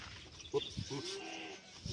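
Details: A welcoming group of goats greeting joyfully: a brief tonal note, then a longer, steady, mid-pitched bleat lasting about half a second, over constant background hiss.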